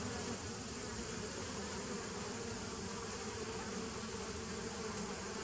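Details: A short, even stretch of bee buzzing from 27 September 2018: a dense continuous drone with a firm low tone and hissy upper overtones, without breaks.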